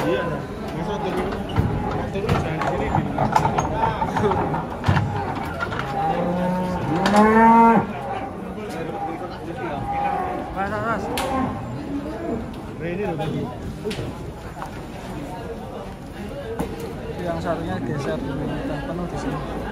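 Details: Cows unloaded from a truck and agitated, one bellowing a strong rising then falling moo around the middle, with shorter lowing from others, people chattering and a steady low vehicle rumble throughout.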